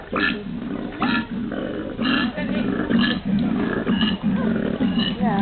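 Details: Koalas in Brisbane, Australia, growl in deep, snoring grunts, roughly one per second, while people chat nearby.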